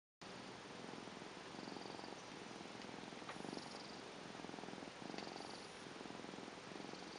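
A Tonkinese cat purrs steadily, a low fluttering rumble that swells and fades with each breath.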